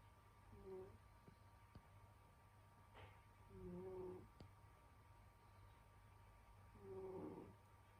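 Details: Domestic cat asleep in winter, snoring; three soft, low breathy snores roughly every three seconds over a steady faint hum.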